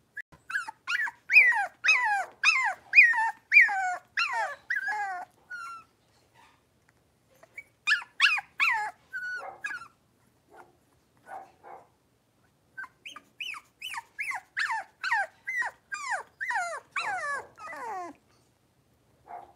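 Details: Litter of five Blenheim Cavalier King Charles Spaniel puppies indoors in a puppy pen: bursts of loud, high, downward-sliding yelping barks, about two a second, in three runs separated by short pauses.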